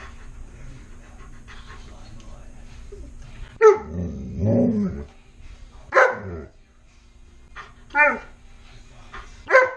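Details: Tonka, a pet Alaskan Malamute, asks for french toast indoors. He gives a series of whiny, harmonic 'woo' vocalizations. A longer drawn-out moan is followed by three short bursts about two seconds apart. Faint speech is heard early on.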